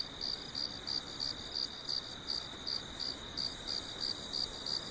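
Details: Sharp, high chirps of a cricket at night on a farm, repeated regularly about three times a second, standing out over a soft background murmur.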